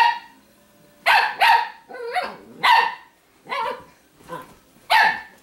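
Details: Grumbling snarls from Shimmer, a female Italian Greyhound wearing dog apparel, who doesn't want to be messed with by Sparkle; raspy, bark-like bursts repeat roughly every second, some doubled, in an indoor setting.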